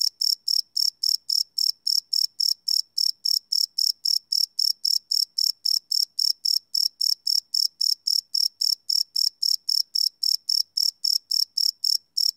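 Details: Live nighttime recording of crickets on a Sony PCM D100: continuous bright, metallic chirps pulsing quickly and regularly, around four per second, with no other noise.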